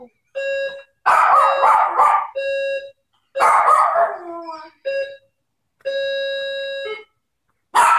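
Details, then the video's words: Maltese dog indoors howling, set off by the doorbell going off; long steady tonal howls in bursts of about one second, broken by a few rougher, noisier yelps and a falling howl near the middle. "Cute Maltese howling"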